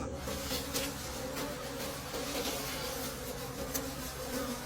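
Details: Wild bees in a deep forest during a late-season honey harvest of dark combs: a steady droning hum with layered tones, many insects buzzing together, with faint crackles and handling noise above.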